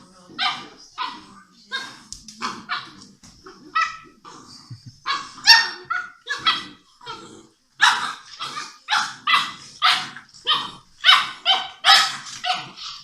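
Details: English Mastiff puppies, six weeks old, at play with each other at a Czech kennel: a steady stream of sharp, high-pitched puppy barks and yips, roughly two per second, with faint growling underneath.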